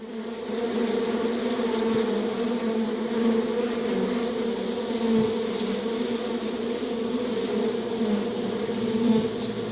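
A steady, droning bee buzz hums on without a break, low and even with a rich overtone, swelling slightly now and then.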